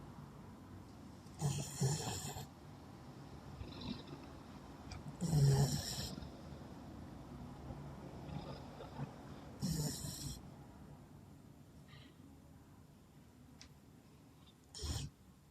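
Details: Sleeping Labrador dog snoring while dreaming: slow irregular breaths, with four louder snorting bursts about every four seconds carrying broad hiss, plus softer low rumbles between them in a quiet room.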